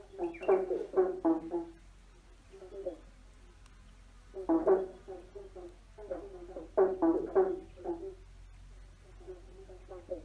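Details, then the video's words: Frogs croaking under a bridge: short bursts of three to four harsh, nasal croaks, pausing between groups, over a steady low hum. "Frogs singing under a bridge free sound effects croaking frogs singing"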